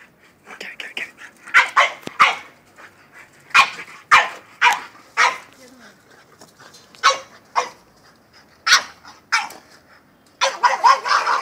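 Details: Excited French bulldog barking at a goat: sharp, broadband barks in uneven bursts, some doubled, with a dense flurry near the end; a person urges "get it" in the background.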